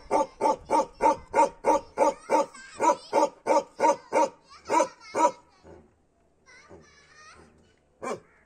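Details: A Kashmiri Bakharwal (Bakerwal) dog barks in a steady, deep series, about three barks every second.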